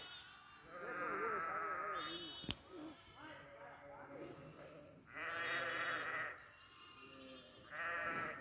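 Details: Goats on a goat farm bleating loudly, three long wavering nasal bleats spaced several seconds apart, with quieter murmuring bleats and a sharp knock between them.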